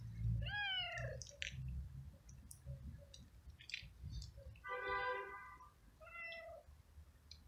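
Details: Hungry stray cat living alone on the street, met while walking in the rain and eating flying ants: three clear harmonic meows, the first bending down then up, the last two steadier and drawn out, over low rumble and scattered clicks.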